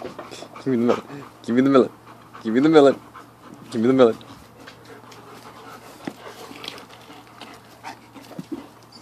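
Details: Kuda, a husky/wolf mix, fed a small watermelon, gives four drawn-out, harmonic, rising-then-falling vocal moans over about four seconds, each roughly a second apart, with a person talking between them and quieter rustling afterwards.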